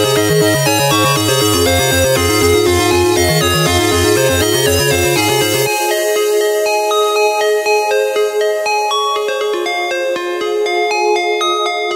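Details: Upbeat electronic music with a steady beat plays throughout, with no animal voices.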